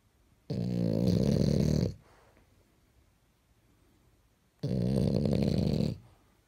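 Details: French Bulldog dressed in pajamas, snoring: two long, heavy, throaty snores about four seconds apart, separated by quiet breathing.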